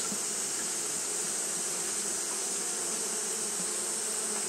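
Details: Japanese honey bees fanning nonstop in the heat give a smooth, even drone: deep humming tones under an airy high hiss, continuous without breaks.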